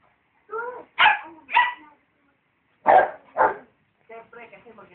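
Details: A rottweiler and a dachshund barking at each other: sharp, loud barks in two pairs about two seconds apart, with softer harmonic voice-like sounds before and after.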